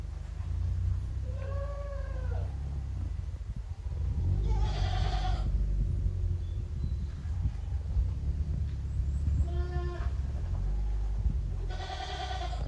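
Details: Goat kids romping in the exercise yard of Yoshigake farm on 30 April 2023. Four bleats come at uneven intervals: short nasal cries, some higher and brighter, others lower and softer, over a constant deep background rumble.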